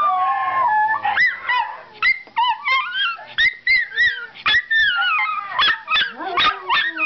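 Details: Pet Miniature Schnauzers excitedly greet their owner arriving home, a long wavering howl giving way to rapid bursts of high, bending yelps and whines, several dogs calling over one another.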